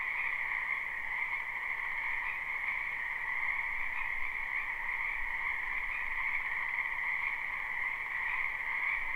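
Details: Distant-sounding spring wetland frog chorus, recorded live with no looping: a constant, blended trilling drone of many croaking frogs beneath noticeable low rumble and hiss.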